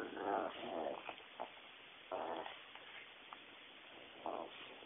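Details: A Pekingese attacking and bullying another dog gives short, harsh barks in bursts, with growly snarling between them.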